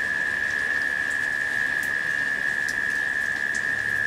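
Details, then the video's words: A short stretch of cicadas humming steadily through a late-summer rain shower, one flat continuous tone under dense rain patter and a few soft high drips. "The Sounds of Rain and Cicadas"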